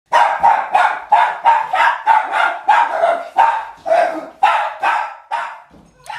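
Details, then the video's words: Small pet dog barking excessively indoors, going crazy and jumping up and down when someone tries to leave the house; rapid high yappy barks, about three per second, in a steady unbroken run for six seconds. "he'd go absolutely crazy barking and jumping up and down as he's showing us here"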